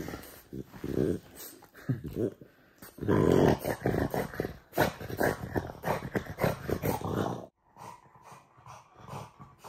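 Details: Low, throaty growling from the French Bulldog Oleg in a small room, coming in rapid irregular pulses, loudest in the middle, before fading to quieter grumbles at the end.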